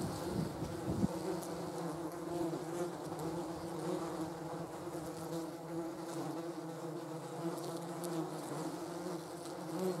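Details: Wing buzz of German wasps gathered on a jam jar, a continuous low droning hum with stacked harmonic bands, fairly even in loudness, plus one brief knock near the first second.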